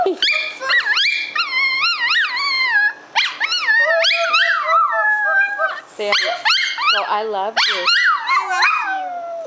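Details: Pet dog vocalizing back and forth with a young child indoors, described as barking at each other and singing together: long wavering, whine-like howls with rising and falling pitch, several in a row, with adult speech between.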